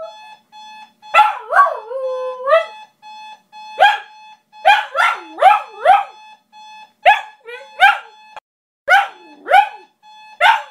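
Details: Maya, a pet Shiba Inu, sings to wake her owners for work: a run of short yodelling, whining howls that rise and dip, bursts tumbling one after another about every half second, over a steady high electronic tone.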